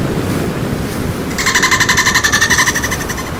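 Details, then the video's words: Playful dolphins: after a stretch of low rumbling water noise, a two-second burst of rapid, evenly pulsed chatter with layered tonal bands, the pulses coming about eight times a second and fading slightly toward the end. "Dolphin Sound effect - Som dos Golfinhos com Muita brincadeira"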